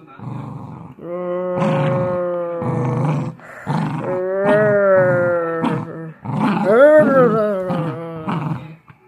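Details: Dachshund pulling hard in tug of war: a long run of rough low growls alternating with voiced, moaning growls that swell and bend in pitch, nearly continuous over nine seconds.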